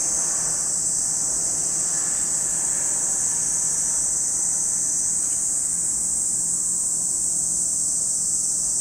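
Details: At Lake Kamo on Sado, Niigata Prefecture, Japan, cicadas keep up a continuous, piercing buzz at high pitch without pause, with a faint rumbling undertone beneath.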